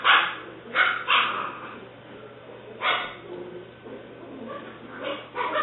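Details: Female English Springer Spaniel puppy Alice, seven weeks old, black/white tri-color, recorded 5/17/09; clusters of sharp high yips and small barks, some in quick pairs, with quieter gaps between bursts and a faint constant hum.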